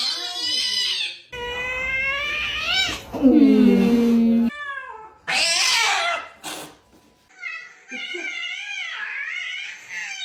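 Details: Cat giving drawn-out, wavering meows in several abruptly cut segments, some rising then falling, one long wail, with a lower voice-like sound partway through and speech heard among the calls.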